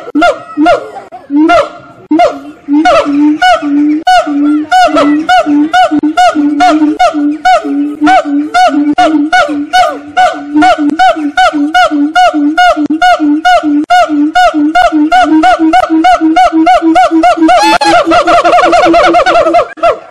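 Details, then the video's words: Long chorus of singing monkeys at Fota Wildlife Park, Fota Island, Cork, Ireland: regular low hoots speed into a rapid pulsing series with bouncing upper whoops, peaking in shrill high-pitched wails toward the end. "Singing Monkeys"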